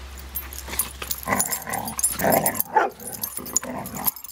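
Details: Dogs named Bailey and Cooper playing together while another dog, Bela, plays with a toy; low grumbling growls and short huffing bursts come in a busy, irregular run, with small yips mixed through.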